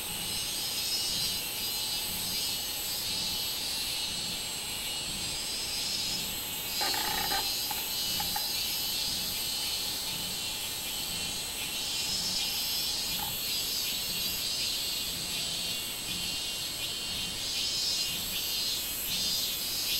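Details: On 24 July 2016, minminzemi (robust cicada) drone on unbroken for twenty seconds: a harsh, high, throbbing buzz with regular swells, and a short tonal chirp near the seven-second mark.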